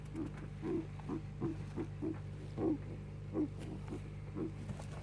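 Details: Four-year-old male guinea pig whose odd noises persisted after a vet visit on 8 December 2016: short, low, hoarse bursts repeated roughly every half second over a steady electrical hum.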